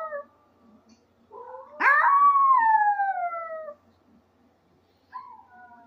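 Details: Maltese dog Benji lets out a rising whine that jumps into a loud, sustained descending howl of nearly two seconds, followed after a pause by a short fainter wavering note.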